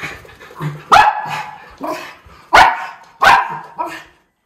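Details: Miniature Schnauzer brothers playing loose in deep snowpack in their yard in Aroostook County, Maine, February 2023, as spring melt begins; sharp barks at irregular intervals, about five loud ones, with quieter huffs and panting between.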